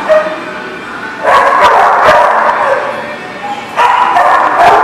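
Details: Crowd of dogs at a boarding lot barking together, bursts of overlapping barks and yips swelling in loud waves, with a quieter stretch before each surge.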